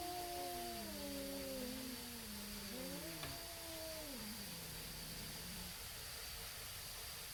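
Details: Neighborhood cats, possibly tabbies, squaring off before a fight: low overlapping moaning wails that slide downward and waver, quieter and muddier, set against steady background noise and hum.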